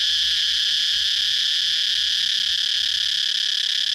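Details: Cicada producing a continuous shrill buzzing drone, high and even in pitch, with no breaks across four seconds and faint low background rumble.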